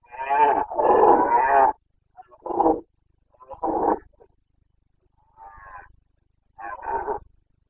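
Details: Carpathian stag roaring in the breeding season, Bucovina mountains, 29.09.2022. A long, deep, rasping bellow of almost two seconds opens, followed by four shorter throaty grunting roars spaced about a second apart.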